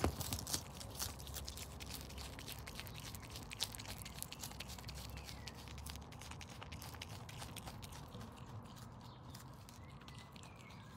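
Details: Paula, a pet Brush Tailed Possum adopted as a helpless baby after her mother was shot, eating lettuce, silverbeet and carrot; soft crunchy chewing clicks and bites scattered over a steady background hiss.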